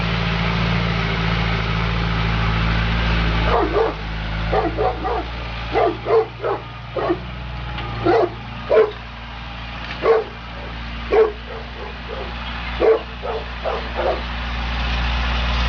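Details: Neapolitan Mastiff named Sofia DSV, shown at work, barks in a long run: about fourteen deep, punchy barks over ten seconds, some in quick pairs and others spaced a second apart, after a quiet start with steady low rumble.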